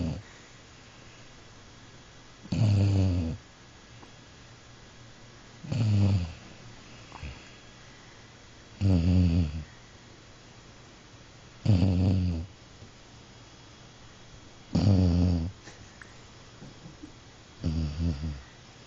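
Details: Pet dog asleep and snoring: low, rumbling snores, each about a second long, repeating roughly every three seconds in a quiet indoor room.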